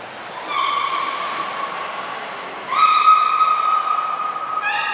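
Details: At Port of Nagoya Public Aquarium on 6 January 2019, beluga Hodoi, in training for gastric fluid collection and blood draws, gives two long steady whistled tones of about two seconds each, with a third beginning at the end.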